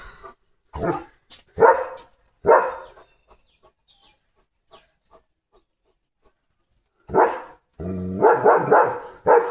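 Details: Leo, a pet German Shepherd whose leg is sore, barks in a courtyard: three sharp barks in the first seconds, a quiet gap, a low growl-like sound, then a fast cluster of barks, with a person speaking Marathi nearby.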